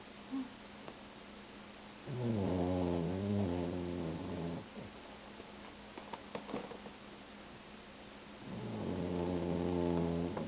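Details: Boxer mix dog, two years old, male, snoring really loudly while asleep: two long droning, rattling snores of about two and a half seconds each, roughly six seconds apart, with quiet breathing in between.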